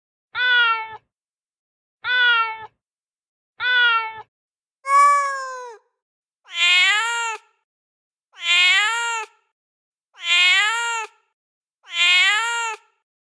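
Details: Domestic cat meowing to attract other cats: eight clear harmonic meows about every one and a half seconds, the first three short and lower, the later five longer, brighter and higher-pitched with a slight rise and fall; quiet background.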